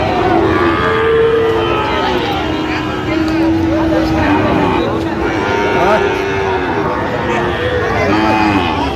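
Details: Sahiwal calves at a Comilla cattle market in Bangladesh: long, level moos and shorter bawls rise over a constant roar of crowd voices and market noise.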